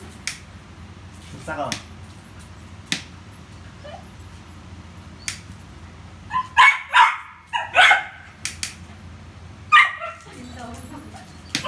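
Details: Over a quiet stretch with faint clicks and soft talk, Rio the Poodle, busy with a ball, breaks into a cluster of sharp barks, then one more loud bark after a short gap.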